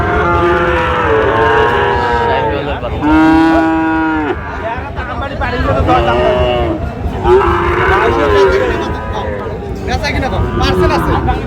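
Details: Sahiwal bull calves at a cattle market in Sylhet, Bangladesh, on 26 September 2025, lowing in a series of drawn-out, harmonic-rich moos, some rising then falling, overlapping one another over a steady crowd murmur and low rumble.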